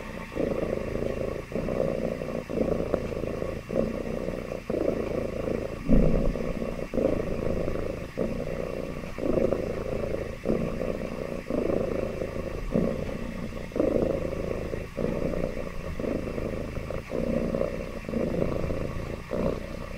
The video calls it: Happy Cat Purr